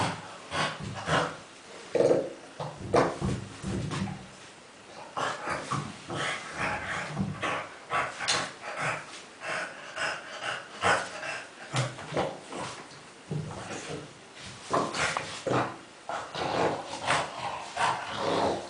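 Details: Among many tennis balls, the dog Kuba snorts and grunts continuously, harsh noisy bursts with heavy breathing between them, the funny piglike sounds going on steadily throughout indoors.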